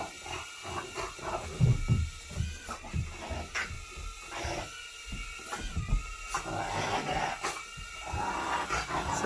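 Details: Pet dog indoors in a living room, leaping and barking as it chases a small, low-powered flying drone. Short harsh barks and growly bursts come in irregular clusters over the steady whine of the drone's rotors, with a man talking.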